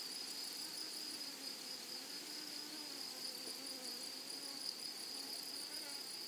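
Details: Steady high-pitched insect buzz from grasshoppers in a flowering meadow, droning without pause, with a thin higher overtone and faint low wavering tones underneath.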